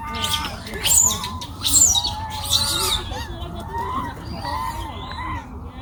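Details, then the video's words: Crying baby monkey in a Chinese forest, giving wavering, arched whines mixed with sharp, high screechy bursts near the start, then softer repeated cries over a constant low background hum. "Very sad sound of Pity baby monkey crying"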